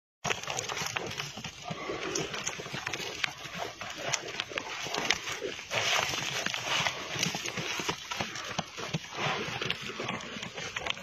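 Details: Wild boar; aggressive calls; dispute between rival boars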